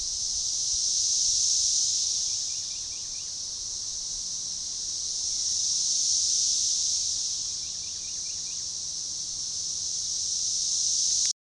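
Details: Organized, synchronizing chorus of periodical cicadas, Magicicada tredecassini, near DeValls Bluff, Arkansas, on June 7, 2015, forest edge along a baseball trail: a continuous shrill buzz rising and falling in slow waves about every four to five seconds, faint chirps between.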